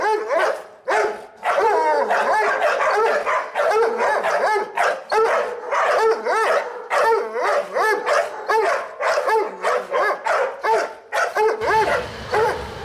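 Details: Pit Bull in a tense encounter among a 4-month-old female Pitbull puppy, an adult Dobermann and other dogs: a dense, nearly continuous run of sharp, high-pitched yelping barks overlapping one another, with a low rumble joining near the end.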